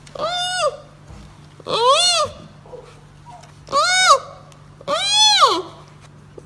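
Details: Giant panda cub calling in four loud, arched, bleating cries, each about half a second long and rich in harmonics, separated by short pauses over a steady low hum.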